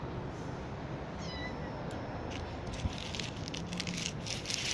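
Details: Kitten being coaxed out from under a car gives a brief, thin, high meow about one second in, falling slightly in pitch, half-buried in steady broadband rushing noise with scattered hissing bursts toward the end.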